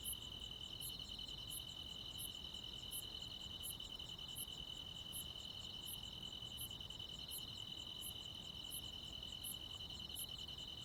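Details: Countryside crickets singing on a midsummer night alongside other insects. A continuous pulsing high trill holds steady while a brighter, higher chirp recurs at an even pace of about one every 0.7 seconds.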